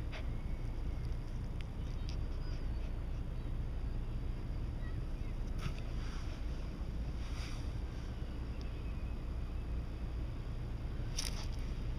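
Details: Steady low wind rumble buffets the microphone throughout, with a few faint high clicks and scrapes and no animal voice.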